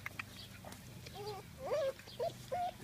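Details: Bernese Mountain Dog Lucy with her puppies: a run of short, tonal whines that rise and bend, four in quick succession in the last half, over a low background hum with German speech nearby.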